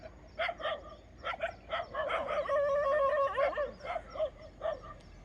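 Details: Street dogs barking at intruders, said to bark at anyone entering their yard and at wild boars; repeated sharp barks about three per second, rising to a sustained howling bark in the middle, then spaced barks again.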